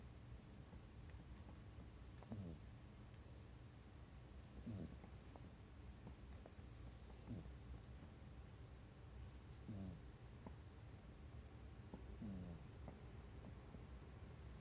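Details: Sleeping pet cat curled up at someone's feet, giving its habitual buzzy 'boo-boo' snores; low rasping breaths repeat about every two to three seconds, quiet and even, with no other clear sounds.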